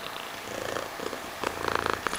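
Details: Brief purr from the cat Mysli, a soft rumble that turns into louder, raspy pulses toward the end.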